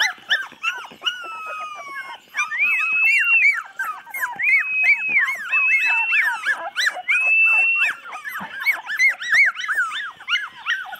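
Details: Several 24-day-old chocolate Labrador puppies whining in chorus, 8 November 2014; drawn-out high whines and falling squeaks overlap continuously, some notes held steady for about a second.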